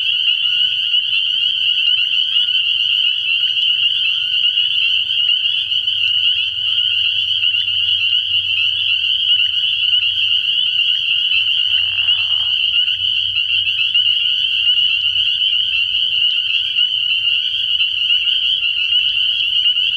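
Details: Nighttime frog pond early in the year, packed with spring peepers whose massed high peeps merge into a continuous piercing drone; one short, lower, rough burst midway through.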